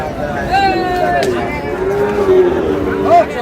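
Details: Sahiwal bull calf at a cattle market in Chattogram, Bangladesh, on 7 June: a long, steady, harmonic-rich moo held for about two and a half seconds, ending in a brief higher rise, with crowd murmur behind.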